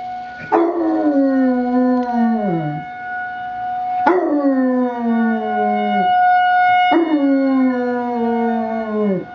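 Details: Alvin, a Basset Hound puppy, howling along with a weekly emergency test siren: three long wavering howls, each starting high and sliding downward over about two seconds, against the steady siren tone.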